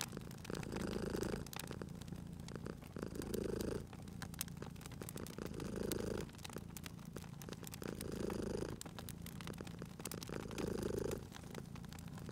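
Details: Cozy fireside purring from a sleeping cat, deep continuous rumble rising on each breath roughly every two and a half seconds, overlaid by constant crackling and popping of a wood fire.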